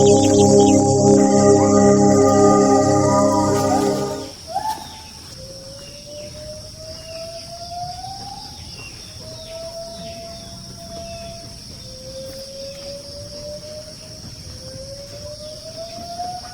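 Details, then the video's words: Wild gibbon singing in forest by a settlement, where gibbons come daily to eat forest fruit; after four seconds of music, long slow rising whooping notes repeat about every three seconds. "Bunyi Nyanyian Ungka / Gibbon Di Hutan"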